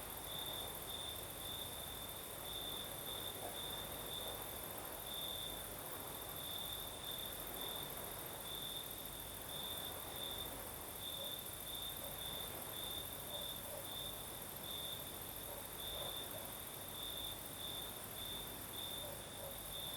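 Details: Night chorus of crickets in southern Crimea, night breeze blowing: an unbroken piercing trill with uneven louder bursts, a constant very high hiss above it and a gentle windy background throughout.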